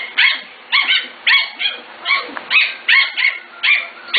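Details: Corgi puppies five to six weeks old, from the Katie, Emma and Annie litters, give high, yappy barks in a steady run, about nine sharp ringing yaps over four seconds with short gaps between them.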